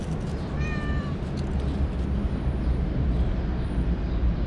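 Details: Cat sound from a household scene where a mother cat refuses to nurse her four active, mischievous kittens: one short, high, clear meow of about half a second, level and slightly falling, over a steady low rumbling background.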